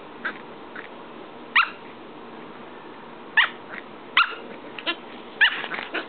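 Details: Two Corgi puppies, Luna and Toad, playing together: short sharp high barks and yips in scattered bursts, five or six loud ones spaced one to two seconds apart, over quiet indoor background.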